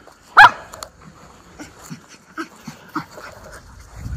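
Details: Miniature Schnauzer, described as a talker, let out in the yard in spring; one loud sharp bark at the start followed by softer scattered yips and rustling.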